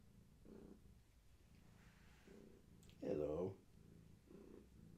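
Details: Pregnant long-haired tabby Gaia purring steadily in low, throbbing pulses as her kittens move inside her, with a brief burst of human speech cutting in midway.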